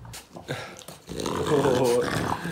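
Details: French Bulldog indoors, greeting its owner who returned after under 25 minutes away; after a man's speech, a drawn-out tonal moaning growl with wavering pitch rises for about a second, over room noise.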